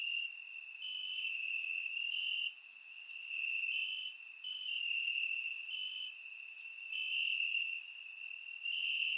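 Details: Chorus of crickets in Bulgarian grass on a warm summer night: continuous high-pitched trilling in two close tones that alternate in loudness, with short dips and sharp ticking accents overhead.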